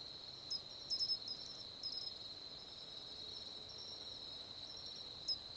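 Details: Mainland Japanese Matsumushi, Xenogryllus marmoratus marmoratus, giving bright piercing chirps in quick clusters, spaced irregularly, against a constant high insect drone.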